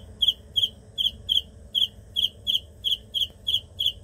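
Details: Cricket giving shrill, pulsed chirps, each burst a quick rasping trill, repeated roughly every third of a second in a fairly steady run, with a faint low hum beneath.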